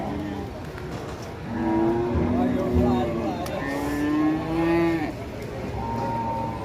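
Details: A cow, said to have caught a chill and to have collapsed right after arriving, gives two drawn-out, low, wavering moos, the second rising and then falling away. Faint background noise runs throughout.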